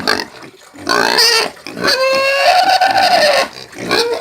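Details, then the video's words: A pig screams in drawn-out harsh squeals, one long cry lasting over a second after a shorter burst. "SOM DE PORCO CAIPIRA - SOM DE PORCO - SOM DE PORCO GRITANDO EFEITOS SONOROS DE PORCO – PIG SOUNDS"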